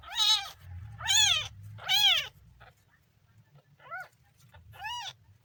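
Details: Kitten, day three, letting out three loud, strained meows in quick succession, then a pause and two softer, shorter mews; low background hum throughout.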